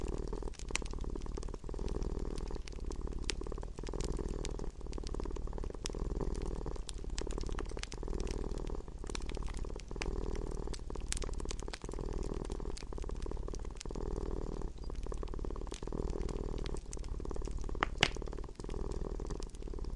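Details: Domestic cat's soft, continuous low purr swelling and easing with each breath over a long stretch, set against steady crackling and occasional louder pops from an indoor fire.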